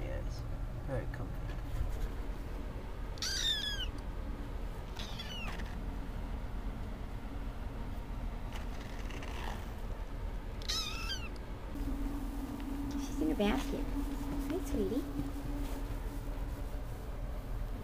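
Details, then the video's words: Perci (Percephany), a little kitten, gives high, thin mews that slide downward, heard around the third, fifth and eleventh seconds, with a few fainter squeaks later, while a person talks softly and praises her as a good girl in the basket. "Percephany "Perci" the kitten"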